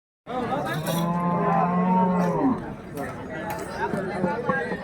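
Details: Cattle at a bull market in Hirapur, one long low moo with rich harmonics held for about two seconds, then falling away, followed by murmuring voices and crowd chatter.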